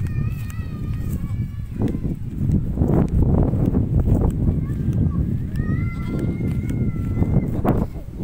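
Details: Goat bleating: two drawn-out, steady, nasal tonal bleats, one at the start lasting over a second and another around the sixth second, set against constant low rumbling noise and scattered clicks.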